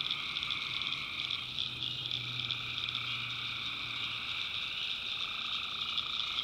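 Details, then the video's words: Swamp at night in the North Carolina backwoods, tree frogs massed in a constant high, rattling chorus of stacked tones, with a low droning note swelling through the middle seconds. "Relaxing Swamp Sounds at Night - Frog Heaven - Frogs, Crickets, Forest Nature Sounds"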